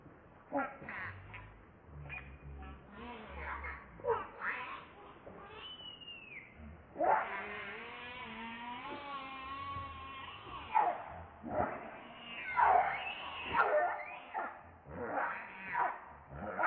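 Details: Hungry baby monkey Leo cries to beg its mother for milk. Short choppy cries build into a long, wavering, harmonic-rich wail lasting about three seconds, followed by further broken sobbing cries.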